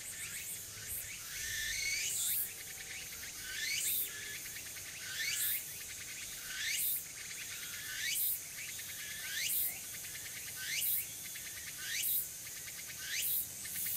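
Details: Afternoon song of a tsukutsuku-boshi cicada, recorded 6 September 2022 in early autumn at Furuta Magarikawa, Nishinoomote, Tanegashima, Japan. Shrill, rising buzzy phrases repeat about every one and a half seconds, roughly ten in sequence, over a constant high insect hiss.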